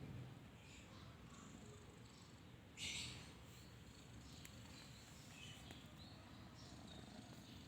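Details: A kitten snores in its sleep, a quiet continuous low rumble with one brief louder rustle midway and faint high twittering behind.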